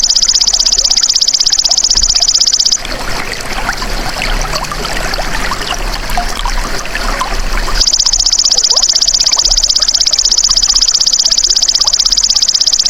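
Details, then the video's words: Belalang emas, the golden grasshopper, used as a songbird training sound: a shrill, fast-pulsed buzz runs for nearly three seconds, breaks off into a gap of trickling, rustly ambience, then resumes and continues steadily to the end. "MASTERAN BELALANG EMAS"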